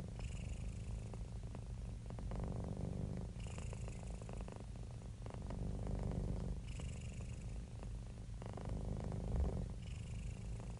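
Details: A happy, relaxed house cat purring nonstop, the low vibrating rumble alternating between louder and softer phases every two to three seconds with each breath, brief breathy hisses marking the turns.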